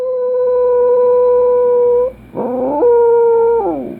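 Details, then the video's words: A sustained, even Dachshund howl holds one pitch for about two seconds. A brief ragged break follows, then a second level howl. "Dachshund howling"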